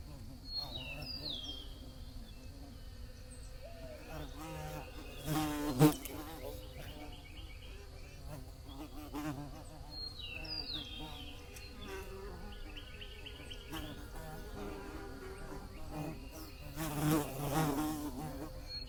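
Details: Bee buzzing as a low, continuous drone that swells loudly twice, near six and seventeen seconds, as if passing close. Birds chirp and trill high above, with steady low background rumble.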